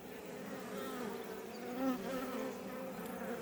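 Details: Swarm-like drone of Iberian honey bees outside a Langstroth beebox near Roquetes, Tarragona, Catalonia, Spain: continuous humming with stacked harmonics, one bee briefly louder as it passes close.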